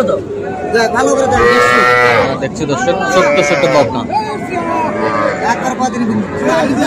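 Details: Cattle at a market in Comilla where a farmer buys small bulls and heifer calves, Sahiwal bull calves mentioned: drawn-out harmonic moos swell near the start and again midway, over steady human chatter and talking.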